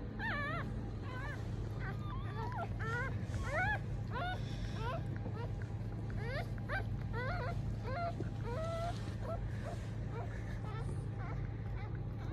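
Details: Three newborn Mame Shiba puppies, two males and one female, two red and one black, born December 19 to an experienced mother, give a steady stream of thin, high squeaking cries, many short rising-falling squeals overlapping, over a low rumbling background.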